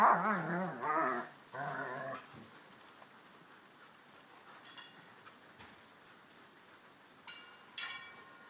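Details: Household dogs, a Schnauzer, a Ridgeback and shepherds, open with three loud warbling yowls in quick succession, then fall mostly silent apart from faint clicks and a brief sharp sound near the end.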